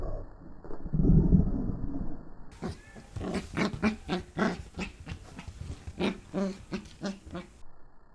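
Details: Pembroke Welsh Corgi puppy at play with a person's hand, filmed 8 November 2014; a low rumbling growl opens, then rapid choppy growls and grunts pulse roughly four times a second.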